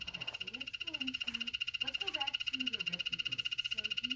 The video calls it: Dart Frog Calling